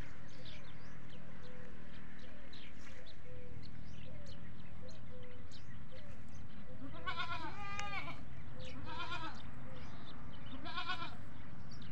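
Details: Farm goats calling for feed, one bleat setting off the others; after a stretch of hum and chirps, three wavering bleats arrive in quick succession, the middle one longest and strongly harmonic.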